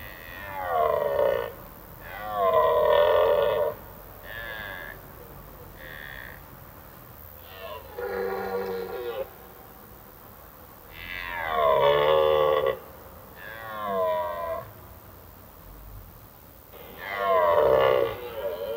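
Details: A red deer stag roars during the autumn rut, which starts in mid-September, giving a series of hoarse, drawn-out guttural bellows that echo through forests in the evening, to attract females and deter rival males from a territory.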